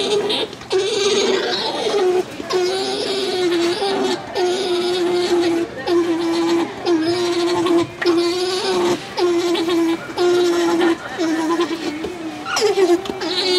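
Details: At Tokiwa Zoo, Ube, male alpaca Tuck greets female Jane, who was being sheared in the alpaca barn and seems cool toward him: a series of short, steady hums, each lasting about a second, separated by brief pauses, with indoor background noise.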